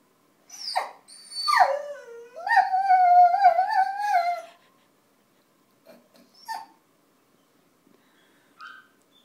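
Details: A basenji mix "sings a little song": a wavering, yodel-like howl that swoops upward and then holds a warbling note.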